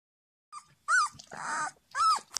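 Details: Thirteen-day-old black-and-tan Beauceron puppy named Jena, hungry and crying for its mother: three arched, whining whimpers that rise then fall, separated by brief pauses, with a rougher, noisier cry in between. The surroundings are quiet.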